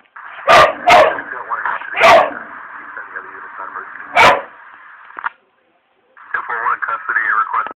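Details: Charlie the dog barking at a cat shown on TV: several sharp barks over steady television sound and voices, then a pause and faint chattery, warbling sounds from the screen.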